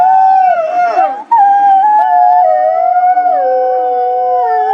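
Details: Chorus of wolves howling to communicate and bond with one another, several long smooth tones overlapping at slightly different pitches, some gliding down and back up, with a brief break early on.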